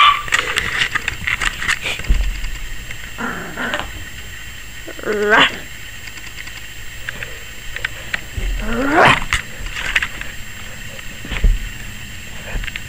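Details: A 21-week-old Yorkshire Terrier puppy lets out shrill, upward-sweeping barks and yelps at irregular intervals, with quieter gaps between, possibly scared of the camera; a faint steady room hum runs underneath.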